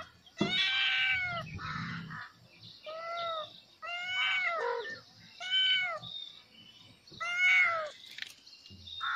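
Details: Several kittens meowing loudly at the sight of a snake; repeated harmonic, arching cries, each under a second long, coming in quick succession roughly every second, with short quiet gaps between bursts and some low rumbling noise early on.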